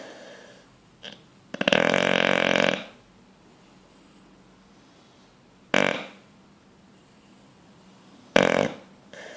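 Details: Dreaming bulldog sound asleep: one long, rough, gurgling snore, then two short sharp snorts several seconds apart, with a soft breathing hiss in the quiet pauses.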